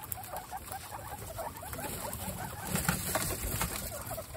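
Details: Pet guinea pigs, a group of 29 adults, at a first meeting with the babies Snow, Pistachio and Pumpkin; soft, rapid overlapping squeaks and chattering notes run throughout, many short calls per second, over steady rustling and patter of movement.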